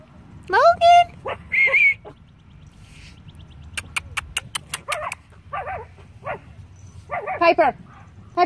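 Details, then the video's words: Tiny teacup Yorkshire Terrier puppies at a Michigan breeder's home: high, rising yelps and yips in short bursts at the start and again near the end, with a run of sharp clicks in between and a woman repeatedly calling and praising the dogs. "Yorkie Puppy"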